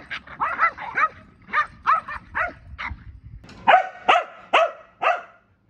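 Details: Kumo, a pet Keeshond, barks in a rapid run of short yappy barks, about eleven in under six seconds, with slightly louder, sharper barks bunched near the end.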